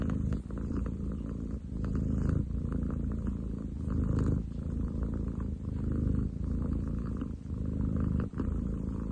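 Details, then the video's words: Purring from Ten chan, a long-legged munchkin tomcat, recorded 30 July 2023; a dense, rattling low hum running continuously, its loudness pulsing roughly every two seconds with breathing. "工事現場並みに喉を鳴らす猫。Cat purr like construction site!?"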